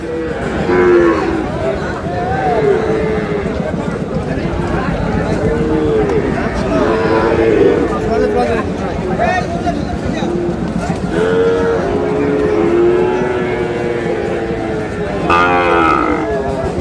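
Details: Sahiwal cattle at a cattle market in Sylhet, Bangladesh, where a farmer buys a young bull calf; repeated low lowing moos rise and fall amid constant crowd chatter and bargaining voices.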